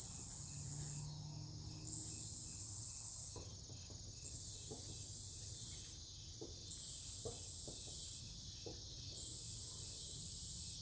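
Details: Cicadas singing at night in a Nebraska forest near a farm, Omaha, 08 03 2021: a piercing high buzz pulses on and off roughly every two seconds, alternating loud and hushed, with scattered faint ticks.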